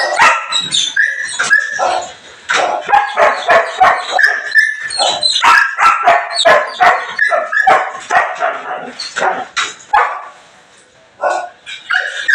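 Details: Belgian Malinois on a morning cleanup, barking fast and irregularly at roughly three barks per second, with yips and whimpers woven between them and a brief quiet gap near the end.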